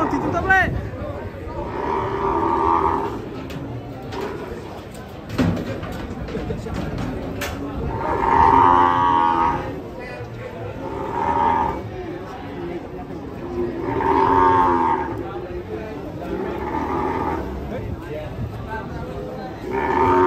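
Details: Rampaging sacrificial cow coming down from a truck, bellowing in repeated hoarse moos roughly every three seconds, each a loud swelling blast, amid clattering, thuds and excited human voices.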